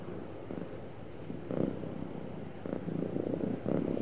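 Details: Sweet, happy purring from a cat, a low buzzing rumble with a fine rapid flutter, growing a little louder in short surges toward the end.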